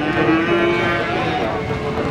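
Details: Cattle at Warujayeng's Pahing market on the morning of Tuesday, 29 October 2019. A sustained, droning moo fills the clip over a loud background of crowd and market bustle.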